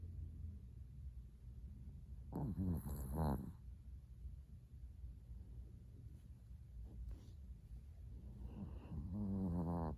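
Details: Latte, a Chihuahua adopted at a Kaohsiung pet expo, snoring in his sleep before dawn at 05:42 on 13 December 2019, his sixth day in a new home; two loud, rasping, harmonic snores, each about a second long, break a quiet room.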